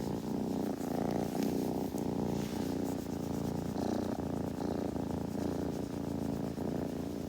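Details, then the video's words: Kitten purring close up, a continuous low rumbling hum with a quick regular throb that holds steady throughout, broken by soft faint clicks and rustles. "子猫のASMR / グルグル音・毛づくろいの音"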